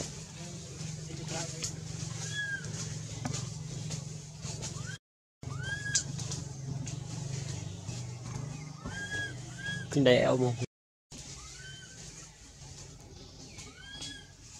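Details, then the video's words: Scared baby monkey Anissa, held by monkey Aron, calls her mother with short rising-then-falling squealed notes repeated every second or two, with a louder rough outburst near ten seconds, over low engine-like hum and some voices. "Pity Baby Monkey Scare Call Mom"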